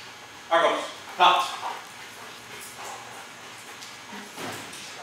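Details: German Shepherd Dog at K9 training: two sharp, loud barks close together in the first second and a half, followed by quieter scuffling and faint human voices in the background.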